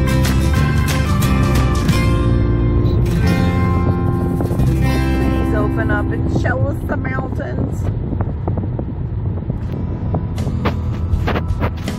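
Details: Music with guitar plays over talking and steady car road noise inside a moving vehicle on a road trip with a Malamute; no animal sound is heard.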